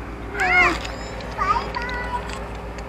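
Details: A cat in a residential area, fed by someone who looks after it, rubs against everything to be petted. It gives one clear, rising-then-falling harmonic meow, then a shorter, softer second meow over a low, steady background hum.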